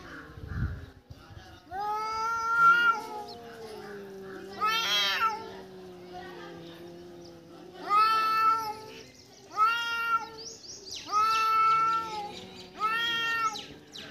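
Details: Domestic cat that has caught a mouse gives a series of drawn-out, wavering meows and caterwaul-like cries, each lasting about a second, with a low sustained moaning tone running beneath several calls.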